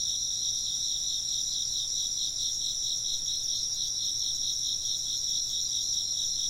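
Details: A steady chorus of chirping insects, high and shimmering, with a fast pulsing trill that never pauses, and wind chimes sounding now and then.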